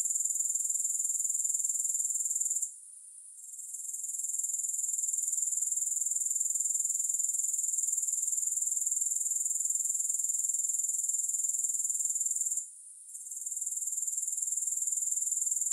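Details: Soothing grasshopper chorus without music: a high, piercing trill of rapid regular pulses that fades briefly near three seconds and again near thirteen seconds, otherwise steady throughout.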